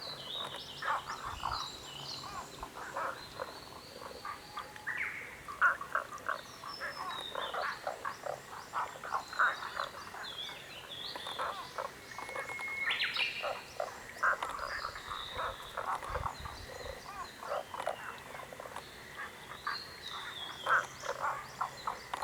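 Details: Many frogs calling together in a dense, continuous chorus of short, rattling croaks that overlap constantly, with no pauses, plus a few faint thin chirps above.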